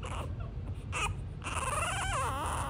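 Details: A French Bulldog female puppy named Miss Snow, described as sassy, in Miami Beach gives a wavering, whiny vocalization that bends up and down in pitch.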